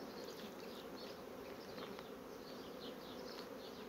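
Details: A strong honey bee colony building comb quickly on foundation sheets: a continuous, even droning buzz of countless bees, thick and unbroken, with light scratchy high sounds above it.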